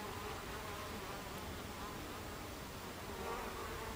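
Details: Buckfast bees at a beehive entrance on 26 July 2013 at 14:30: a steady, dense hum of wingbeats with faint droning tones running underneath the broad hiss throughout.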